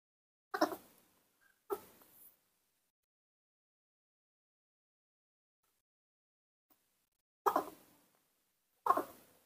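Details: Sweet little voice of a newborn baby monkey being bottle-fed indoors, excited to see its milk: four brief, raspy cries in two pairs, each pair quick, separated by several seconds of quiet.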